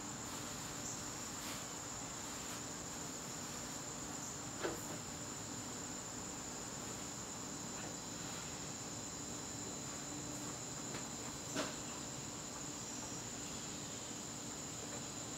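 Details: Crickets calling in a garden on a September evening, their steady high trill running on unbroken while scattered sharp clicks and knocks break in a few times.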